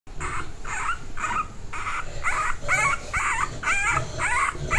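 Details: English Bulldog puppy named Cinderella shouting: a fast run of short, high, strained yelps, about two per second, fairly regular, over a low rumbling background.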